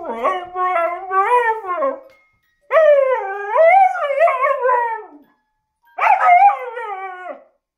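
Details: Husky singing along with a music box playing "Merry Christmas": three long, wavering howls with rich harmonics, rising and falling in pitch, separated by short silences.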